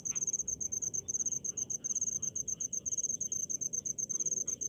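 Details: Cricket in a rice field setting, giving rapid high chirps grouped in short bursts several times a second, sharp and evenly spaced, over a faint hiss of distant insects and low background murmur.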